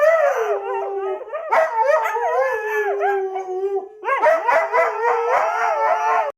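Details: Husky dog, in a playful Halloween-themed setting, giving long wavering tonal howls that slide up and down with yodel-like bends, a short pause near four seconds, then a louder, more broken run of howls.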